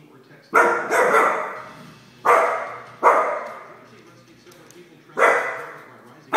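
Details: Soft Coated Wheaten Terrier barking angrily at his own reflection: loud, harsh single and paired barks, about five bursts spaced one to two seconds apart, indoors.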